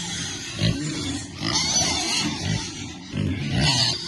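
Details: Piglets happy in cool water, giving short low grunts in bursts with brief squeal-like rises, over splashing water.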